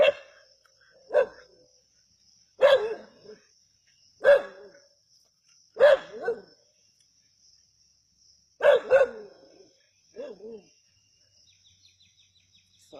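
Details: Native country dogs hunting a snake at Keezhadi: sharp barks in bursts, some doubled, about every one to two seconds, with a steady high insect-like hum throughout.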